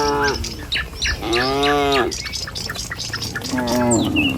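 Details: Tame village cattle moving in a line along a country road one morning. A brief low moo, then a stronger, slightly arching moo, then a short wavering one, all mixed with quick high bird chirps.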